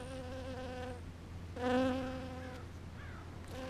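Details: Bee foraging on purple flowers, a steady droning buzz that swells loudly for a moment as it passes close, then settles back to a lower hum, over a faint low background rumble.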